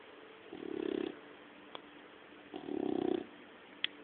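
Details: Young puppy snoring while asleep indoors: two soft, rasping, low-pitched snores about half a second long, roughly two seconds apart, with quiet breathing between and a faint click near the end.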